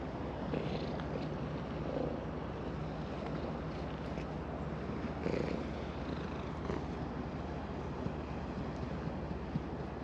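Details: Stroked by hand on a breakwater at dusk, an orange tabby cat keeps up an even, throaty purr of rapid low pulses, captured with a GoPro Hero10, with mild ambient outdoor noise behind.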